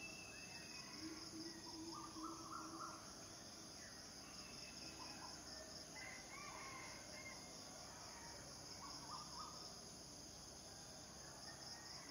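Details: Unbroken high buzzing from male cicadas calling for mates runs through the whole stretch. Scattered bird chirps and brief warbles sit beneath it.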